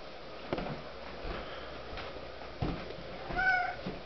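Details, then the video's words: Pet kitten, a vocal female that talks when hungry, lets out a single brief meow near the end amid soft indoor shuffling and sniffing noises, with a woman's voice asking about food around it. "hungry talking kitten"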